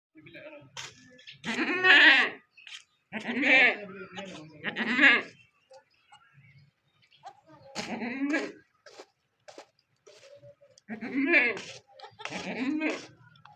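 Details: Goat in labour delivering a kid calls out repeatedly. Loud, wavering, nasal bleats come in clusters of two or three, with pauses between. People speak and laugh quietly in the background.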